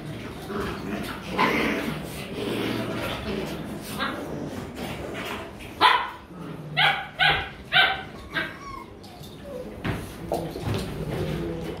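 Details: Rottweiler puppies at play in Vietnam, mock-fighting: mutterings and low growls first, then a tight series of four or five loud yapping barks about half a second apart, fading into soft whines.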